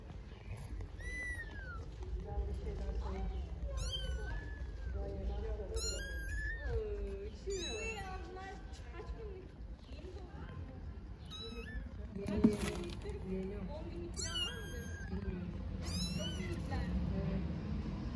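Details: Stray kitten in Istanbul meowing loudly while unable to get off a stone: a rapid run of high, wavering meows, some sliding down and others bending up, repeated every second or two, with a person speaking and city rumble beneath.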